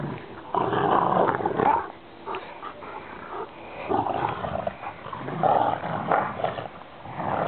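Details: Two Rottweilers, brother and sister, tugging and play fighting with a rope: rough guttural growling in long rumbling stretches, rising and falling in loudness, with brief pauses between bouts.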